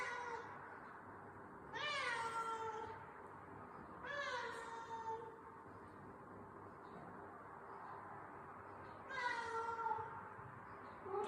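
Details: Domestic cat miaowing repeatedly. Three loud, drawn-out harmonic miaows, each with a sharp onset and a slightly falling tail, spaced about two then five seconds apart, over a low, steady indoor hum.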